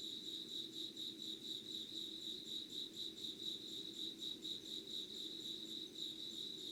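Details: Early-morning insects recorded 25 August 2019 at 5:00 in Yugawara, Kanagawa Prefecture, Japan. A shrill pulsing trill beats steadily about twice each second, with overtones higher up and a quiet low ambient hum beneath.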